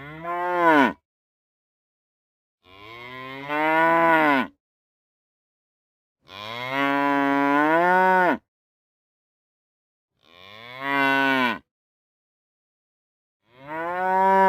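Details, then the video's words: Cow mooing five times at irregular intervals, each moo a drawn-out nasal bellow that rises and then falls in pitch, lasting one to two seconds, separated by silent gaps. "Cow Moo Sound Effect"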